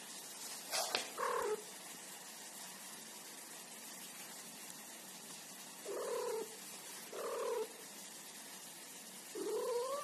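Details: Pet cat guarding her ball, giving low drawn-out caterwauling growls, each about half a second, in four spaced bursts with long quiet gaps between, beginning after a sharp knock.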